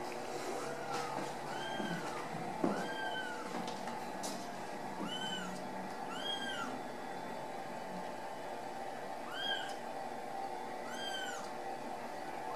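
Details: High, bowed mewing from Ragdoll kittens kept loose in a central Kansas home cattery, roughly eight calls, often paired, a knock near the start, with steady hum underneath.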